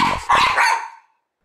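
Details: A one-year-old Mameshiba guarding the house barks out of an open window at no one. A man's voice starts, then a long, rough bark fades out within a second.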